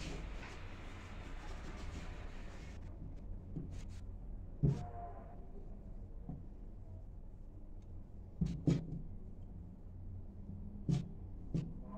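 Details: Quiet indoor room with a low steady hum, a brief rustle early on and a few sharp knocks and clicks scattered through, with no animal voice heard.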